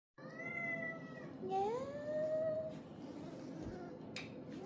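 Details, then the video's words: Pet cats Baby and Bunny, excited at home as their owners return with a grocery bag: a long steady meow of about a second, then a second meow that rises and holds at a higher pitch, in a quiet room. "Our cats excited to see us with a grocery bag"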